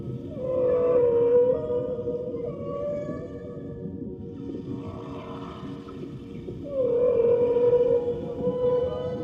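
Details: A whale, said to be a baby whale, gives long, steady, mid-pitched moaning calls that bend slightly in pitch, over a low underwater rumble.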